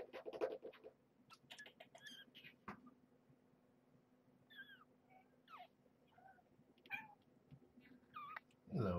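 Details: Two-week-old domestic kittens of Marge, a rescued former stray mother, squeak at weigh-in time: short curved rising-falling calls scattered among soft handling noises, with a low steady room hum.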